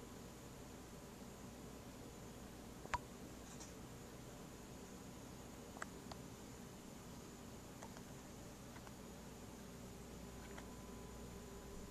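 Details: Steady low hiss and hum of a quiet indoor room with a few faint clicks, no animal sound present.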